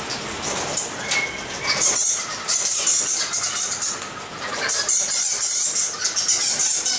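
Egyptian fruit bats give shrill, harsh squeaks and scratchy chatter in bursts that rise and fade.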